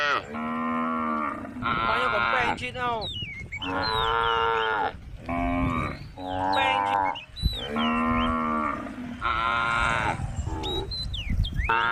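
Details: Female cow in a group of tame cows on Jalan Kampung, giving four drawn-out, harmonic moos of about one to one and a half seconds each, spaced by short pauses, with small birds chirping in between.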